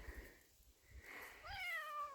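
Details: A male domestic cat, outdoors near the woods by the house, gives a loud, distressed-sounding, drawn-out meow that rises sharply and then slides slowly downward, though he is not actually in trouble.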